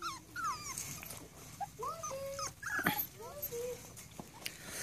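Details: Seven-and-a-half-week-old Rat Terrier puppies whimper in a run of thin, rising-and-falling whines and brief yips, some overlapping, with a person talking softly and a few clicks nearby.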